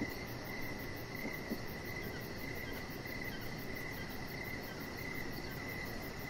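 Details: A chorus of crickets chirping outdoors in the evening near a chihuahua puppy on a deck; fast, even, high pulses run throughout, with a couple of faint soft knocks and broad low background noise.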